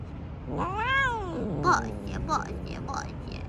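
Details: Outdoor stray cat, being petted, gives one long arching meow that rises and falls, then a few short chirpy mews; background street noise.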